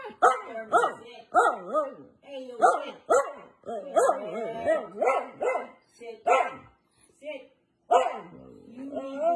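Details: Pet female Siberian husky protesting an order to sit, with a rapid run of bouncy, rising-and-falling woo-woo moans and short barks, then a brief silence and a longer, lower, drawn-out grumble.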